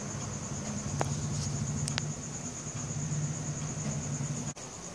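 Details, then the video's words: Night crickets captured with a Samsung Galaxy S4, their high, continuous pulsing trill holding steady while a loud low engine-like hum dominates beneath, with a few sharp knocks partway through. "CRICKET SOUNDS"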